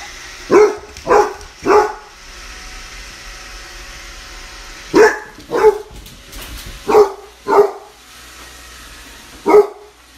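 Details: Basset Hound puppy barking at a Roomba indoors: seven loud, short barks in uneven bursts, a quick pair, then a triple, a pair and one last bark after a pause, over a faint steady hum.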